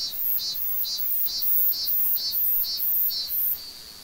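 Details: A Korean cicada singing in a tree gives high, buzzy pulses repeated about twice a second, ending in a steady drone; audio boosted.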